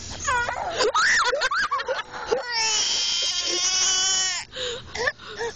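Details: An American bullfrog screams in long, wailing, harmonic cries. A sustained high tone holds for about two seconds in the middle, with shorter rising and falling yelps before and after.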